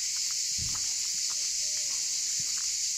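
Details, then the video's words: Cicadas fill a sunny, blue-sky day outdoors with a loud, steady, high-pitched buzzing chorus that never lets up; they are said to sing loudly even at night. "Voilà, je sais pas si vous entendez, il y a beaucoup de soleil, il y a un beau ciel bleu et on entend les cigales, c'est un truc de fou."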